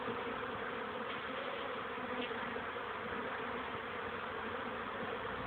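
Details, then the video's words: Many honey bees buzzing steadily during young bees' orientation flights on 13 May 2013, shortly after 2 pm, as the weather warmed after rainy days. An unbroken, rich hum with no pauses. "oblot młodej pszczoły"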